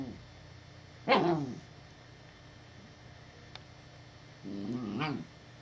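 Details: Puppy named Evangeline, alarmed by a perceived threat and guarding her owner, gives a deep, rich voice: a sharp bark, then after a pause a lower, drawn-out growling woof.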